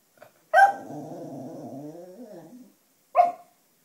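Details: Black female Cocker Spaniel, a pet that howls along to wind instruments such as clarinet, sounding tired and groaning: a loud yelp opens a low, rough, wavering groan-howl of about two seconds, followed by one short sharp bark.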